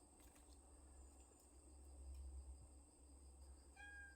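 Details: Cat family living in a woodpile, recorded 20 August 2022; one short, clear harmonic meow sounds near the end, set against a steady low rumbling background hum.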